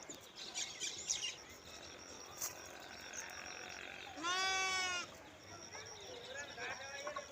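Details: Lamb or sheep giving a single short, quavering bleat about halfway through, over a steady hiss of background noise with faint scattered chirps.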